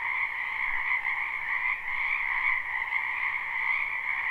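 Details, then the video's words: Frogs crowding a spring wetland call together in a live recording, their rapid trills forming a constant high ringing hum with a brief dip in volume partway through. "Ambient Noise for Sleep Frogs Black Screen"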